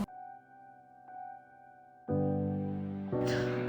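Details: Soft, sustained ambient piano chords that swell louder partway through, with a brief bright shimmer at the end; no animal voices.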